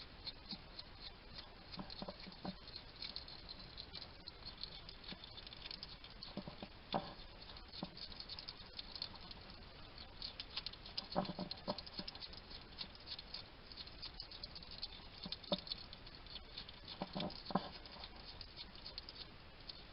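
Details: Somerset garden hedgehog, wild, chatting to himself as he eats at a feeding station: steady patter of wet chewing clicks with occasional stronger crunching bursts, low background hiss throughout.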